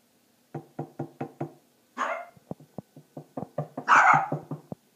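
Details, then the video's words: Puppy deliberately provoked by its owner to show how loud its voice is, giving a run of short sharp barks, then a longer harsh yelp, then more quick barks with a loud raspy outburst near the end. "Puppy annoying bark"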